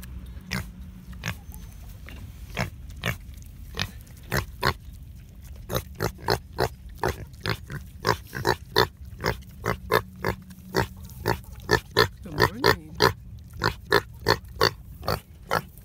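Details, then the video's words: Guinea hog, one of several kept, talkative in the morning. About thirty short, low, broadband grunts come in a steady run, sparse at first, then quickening to one every half second in the second half. "One Talkative Pig"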